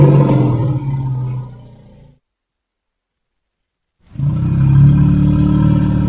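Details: Elephant calf giving a deep, low rumbling call with a steady buzzy pulse, cut by about two seconds of silence before the rumble resumes just as loud.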